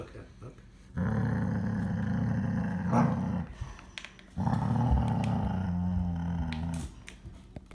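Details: Siberian Husky (Canis lupus familiaris), growl: guarding food.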